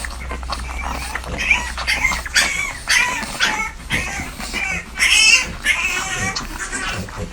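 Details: Newborn French Bulldog puppies nursing, recorded up close indoors: thin, high squeaks and wavering whines, some rising and some falling, come in irregular bursts several times a second over a low steady hum.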